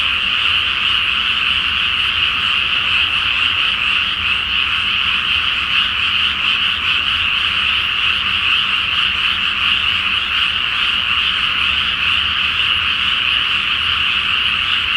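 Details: Dense chorus of many frogs croaking at night in a flooded rice field before planting, under a full moon in spring; overlapping calls merge into a steady, unbroken buzzing wall of sound with no pauses.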